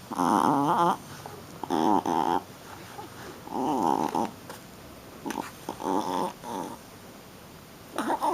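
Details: Young female Shih Tzu roughhousing in play, giving loud throaty growl-grunts in half-second to one-second bursts, harmonic and wavering, separated by brief quiet gaps indoors.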